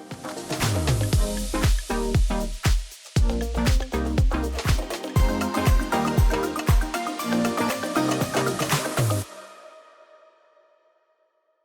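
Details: Upbeat electronic dance music with a steady beat plays, then fades out; no animal sound is heard.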